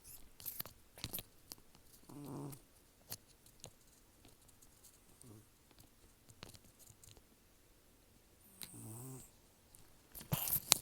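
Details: Sleeping rescued cat Taro, an estimated 10 to 14 years old with few teeth left, breathing noisily through the nose. Three short, rattling snore breaths several seconds apart, with faint clicks and rustles in between.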